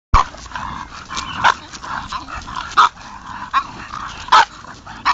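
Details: Three English bulldogs out on a walk; a few short, loud barks or snorting calls burst out at intervals, roughly four in five seconds, over a steady background of shuffling and outdoor noise.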